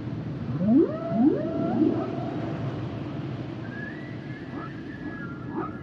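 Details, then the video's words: Humpback whales singing: a run of rising swoops climbing into long, wavering tonal notes, then thinner high whistles that glide and fade against a constant hissing background. "Sounds and Songs Of The Humpback Whales"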